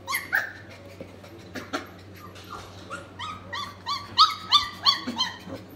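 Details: Four-week-old F1B doodle puppies indoors give a run of high, tonal whines and yips. The cries start sparse, then come fast and rhythmic, several per second, growing louder toward the end over a steady low hum.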